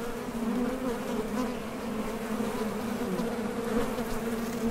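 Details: Continuous drone of honey bees coming and going at a Top Bar Hive entrance while foraging for nectar, a low even hum with a higher overtone that wavers slightly throughout.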